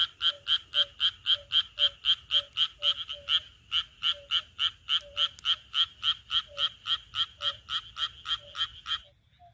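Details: Midsummer night in the countryside, a frog in the rice paddies gives rapid, even, harsh croaks, close to four each second, keeping a steady rhythm before trailing off at the end.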